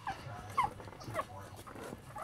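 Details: Newborn Lhasa Apso puppies from a litter of eight born January 8, 2015 give two or three brief, thin, high squeaking peeps, soft and quickly falling, beneath nearby human talking and a steady low indoor hum.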